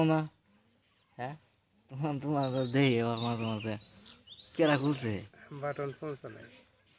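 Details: Young goat kids at play, jumping, let out drawn-out trembling bleats, several long wavering cries in a row separated by short pauses, with brief high chirping above.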